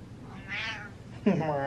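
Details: Domestic cat meowing indoors: a drawn-out nasal meow rising and falling, then a sharper, louder second meow, set against a person's voice.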